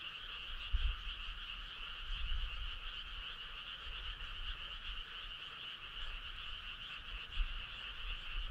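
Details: Frogs calling in chorus on a summer night along a country road: a constant rattling trill at two layered pitches, with occasional soft low thumps and rumbles underneath.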